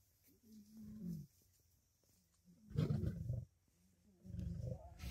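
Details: Lions, lionesses and cubs in a dominance fight over food at a kill: thin, wavering whines at the start, then two heavy, rough, low snarling bursts, the louder one lasting nearly a second.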